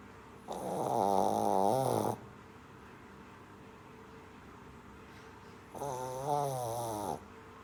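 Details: Sleeping Shih Tzu puppy snores in two drawn-out rasping breaths, each about one and a half seconds, separated by roughly three and a half seconds of near silence; the vibrating tone wavers slightly in pitch.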